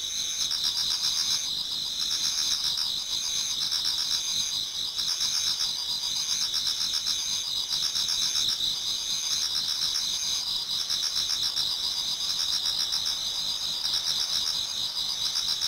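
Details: Many insects singing in a Japanese garden on an autumn night nearing dawn, an unbroken wall of shrill trills with regular pulsed chirps repeating roughly four times a second.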